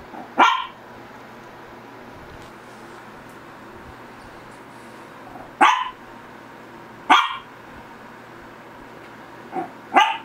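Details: Shih Tzu barking indoors: five sharp, short barks, single ones near the start and the end with a close pair in the middle, separated by long quiet gaps, over a low steady background hum.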